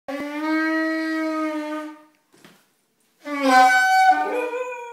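A Siberian Husky howls in long, sustained tones alongside a saxophone.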